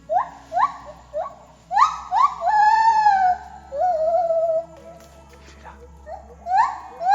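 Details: Wild white-handed gibbons in Khao Yai National Park jungle, Thailand, sing under the canopy in dim light: loud rising hoots climbing and swooping into long, deep, wavering wails, notes about every second, over a faint background hum.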